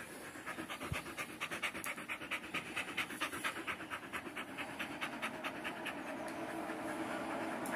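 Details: Energetic Border Collie panting rapidly, a steady train of breathy rasping puffs a little over two per second, growing slightly louder toward the end; no other clear sounds.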